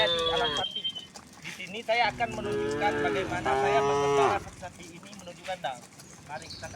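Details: Several tame cows from a herd of dozens moo while walking along a quiet country road, with overlapping, wavering moos over about four seconds, then quieter rustling and distant background noise.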